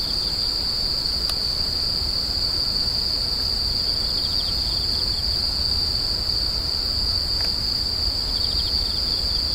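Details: Insects crying continuously, a shrill, unbroken high tone holding level throughout, with faint pulsed trills drifting in and two sharp clicks, over a low rumbling background noise.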